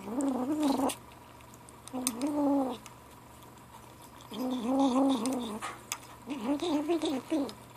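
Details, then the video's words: Gray kitten Ashe, seven weeks old, talks over lunch with four drawn-out, tonal mews of under a second each, some steady, some warbling up and down, separated by brief pauses in a quiet room. "Kitten lunchtime talk"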